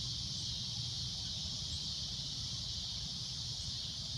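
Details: Steady shrill droning of a cicada at golden sunset, a constant high-pitched buzz without breaks, with a low rumbling murmur below.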